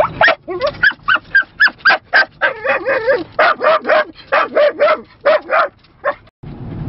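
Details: Two Yorkie and Dorkie puppies riding in a car through Lancaster County bark at the Amish in quick, high, yappy bursts, several each second.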